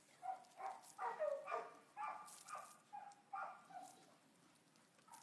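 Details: Boxer named Cookie, up for adoption in August 2015, giving a rapid string of mid-pitched barks and yelps, some clustered closely together, tapering to softer single barks toward the end.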